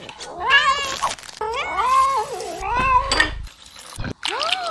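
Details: Angry cats giving long, wavering meows that rise and dip, two stretched calls back to back followed by a shorter rising meow at the end.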